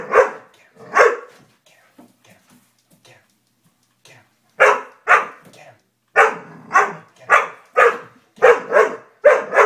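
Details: Dobermann giving two barks, then a few seconds of faint sounds, then a steady run of sharp barks about every half second.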